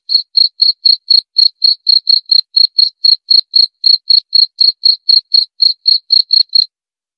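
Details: Rapid cricket chirps, evenly spaced short trills high in pitch, about two dozen over six and a half seconds, then stopping into silence.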